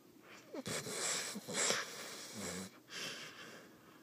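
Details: Sleeping Vizsla dog snoring loudly indoors: a harsh, wheezy, noisy breath stretching for about two seconds, followed by a shorter rasping breath and quieter breathing in a small room.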